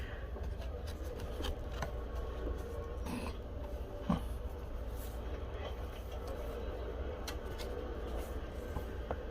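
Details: A constant low rumble fills an indoor room, with scattered small clicks and faint speech, and no animal voice present.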